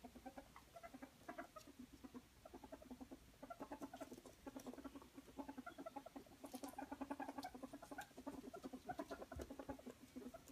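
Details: Happily squeaking ferret at play gives a dense chuckling chatter, Muckern, of quick low clucks, with sharp high clicks and scuffling from the wrestling scattered through the clip.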